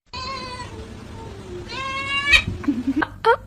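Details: A cat gives a long falling meow, then a second rising-and-falling meow, followed by short clicks and knocks; faint music in the background.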